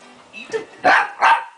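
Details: Two quick, loud barks from a playful tag game between Shiba Inu pup Tako and Bobby the Pekingese, preceded by a faint soft yelp.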